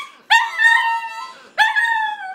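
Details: A Shih Tzu "sings" along to a beginner's violin practice, as if critiquing it, with two high, wavering howls, each starting sharply and holding for about a second.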